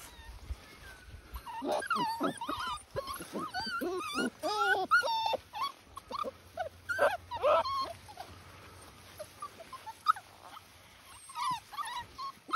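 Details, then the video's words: Dachshund puppies, a litter, recorded 14 March 2021, giving many overlapping high whimpers and squeaky yelps, rising and falling in quick bursts through the whole stretch, with faint low rumble underneath. "Dachshund Puppies"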